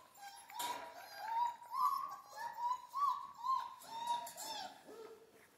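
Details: Central Asian Shepherd puppies in Michigan whimper in a steady series of short, wavering whines roughly every half second, ending on a lower, softer cry; faint rustling behind.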